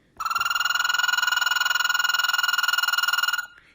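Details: American toad males, newly emerged from hibernation, trilling to attract females; a sustained, ringing, high trill of fast regular pulses holding one pitch for over three seconds, then stopping sharply.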